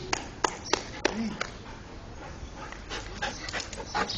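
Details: Border Collie named Buddy playing with his favourite toy, a frisbee; a quick series of five short, sharp barks about a third of a second apart, then quieter scattered sounds, with people talking in the background.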